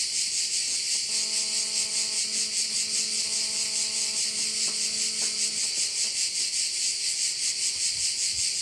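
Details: A bay on Korčula, with crickets keeping up a continuous high, shrill chorus that throbs evenly about two to three times a second. A steady low droning tone with layered overtones comes in for several seconds and then stops.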